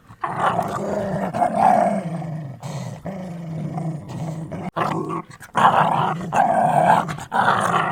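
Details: Dogs growling in a deep, rough, continuous rumble, steady low tone with a brighter snarling edge, broken by brief pauses around three and five seconds.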